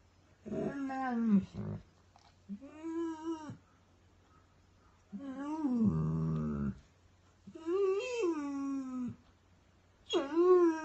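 A Weimaraner whines and cries in long, wavering, nasal sounds that rise and fall, some breaking into a groaning moan. The cries come in bursts of one to two seconds with quiet pauses between them, indoors.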